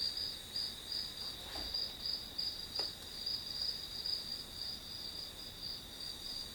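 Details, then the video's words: Quieter grass insect chirping, high and pulsed in short regular bursts. A couple of faint taps and rustles break in near the start. "풀벌레 소리"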